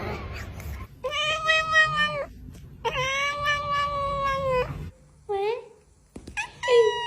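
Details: Domestic cat meowing: two long, drawn-out, steady-pitched meows each lasting over a second, followed by shorter whining meows that bend down in pitch, over a low background hum.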